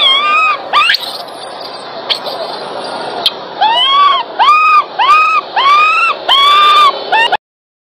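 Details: Loud cries from a baby monkey during grooming by its mother, with clear, bowed whining notes that swell and drop, delivered in quick bursts that grow more insistent toward the end before cutting off.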